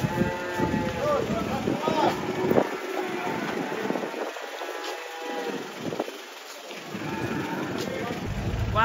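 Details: Angry banteng breaking loose while being unloaded from a truck: repeated hoarse lowing with rich harmonics, mixed with excited human voices, a man's exclamation, vehicle rumble and background music.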